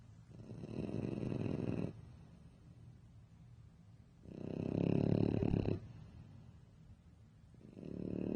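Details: Sleeping French Bulldog snoring loudly, a motorbike-like sound: deep, buzzing, rattling snores of one and a half to two seconds each, separated by quieter breaths, three in sequence.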